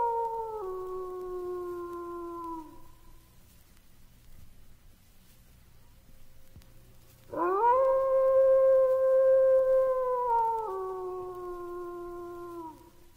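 A wolf gives two long, smooth howls, each holding a steady pitch before stepping down and fading.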